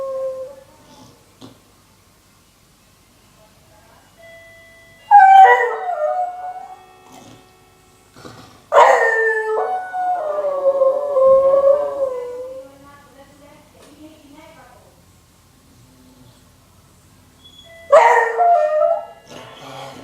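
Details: Whiskey, a nine-year-old beagle with a voice roughened by age, howls in annoyance at the doorbell: two long wavering howls sliding downward, separated by quiet, then a third rough outburst near the end.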